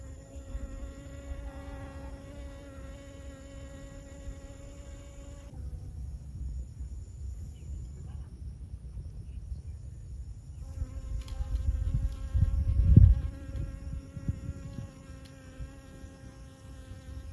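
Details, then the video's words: Wing hum of a honey bee visiting flowers in Siosar, Karo, North Sumatra, Indonesia: a steady droning buzz for five seconds, several seconds of near quiet with low rumble, then the drone resumes alongside a brief louder thump. "Mengintip proses lebah madu melakukan penyerbukan pada bunga"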